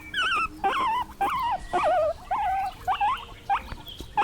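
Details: Guinea pig giving a run of high, wavering squeaks, each rising and falling, about two per second with short gaps between them.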